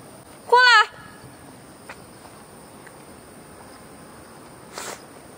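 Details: Cat walked in a Beijing garden in the early morning of August 13, 2013; one of two pet cats, Fengfeng and Huangxiaomi, gives a single rising harmonic meow, then a faint short sound near the end over steady insect hum.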